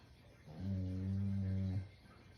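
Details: A dozing Shiba Inu lets out one deep, harmonic-rich snore that holds steady for over a second before cutting off, with quiet indoor background.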